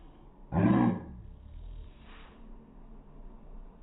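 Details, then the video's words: Pug bark replayed in slow motion: a single deep, drawn-out, roaring burst lasting about half a second, low and rough with a strong booming base, then a faint fading growl-like tail over low background noise. "Pug barking in slow motion. Weird sound!"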